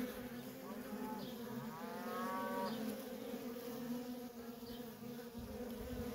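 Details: Feral honey bee colony with busy worker traffic, an even, dense droning hum throughout, plus a faint rising harmonic tone near the two-second mark.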